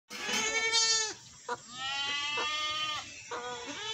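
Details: Goat bleating: three loud, wavering, nasal bleats, the first about a second long, the second longer and steadier, the third cut off at the end, with short pauses and a faint click between them.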